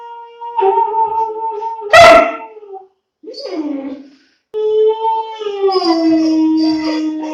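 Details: Two-month-old long-coat German Shepherd puppy howling: a long, wavering, drawn-out tone that slowly falls in pitch, broken by a short harsh burst and a brief yelp-like sound before a final sustained, gently sinking howl.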